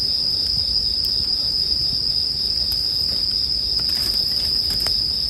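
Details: Steady high ringing from bell crickets runs throughout, with campfire crackles clustering into a brief patter near the end.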